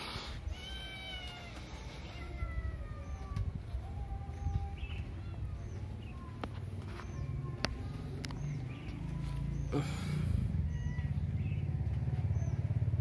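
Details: A cute pet cat gives a drawn-out, slightly falling meow at the start, then a few shorter, softer mews, while people talk and laugh nearby over a steady low rumble.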